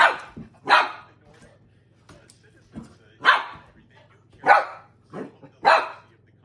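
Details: Dog barking at an empty soda bottle it treats as a serious threat; loud, harsh barks repeated roughly every second, some paired with softer huffs, against a faint low hum.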